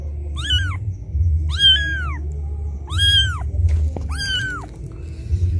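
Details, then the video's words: Loud crying of a kitten left by its mother, calling out repeatedly, also useful to attract cats; four harmonic rising-falling meows, one slightly wavering, and a faint click near the end over low hum. "Suara anak kucing menangis memanggil ibunya"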